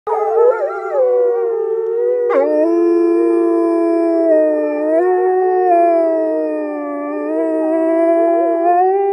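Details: A female gray wolf in an animal park in northern Norway gives a long, deep, sustained howl, holding a steady mournful tone with slight wavering rises.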